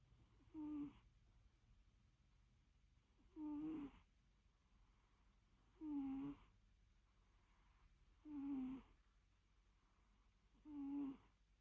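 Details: While a cat naps, its breathing sounds as five short, squeaky, whistled snores, spaced about every 2.5 seconds, over a low constant background hum.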